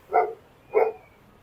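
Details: A dog, apparently a pitbull, gives two sharp, mid-pitched barks about half a second apart at an adventure park at Della Resort, Lonavala, India; why it barks is unknown.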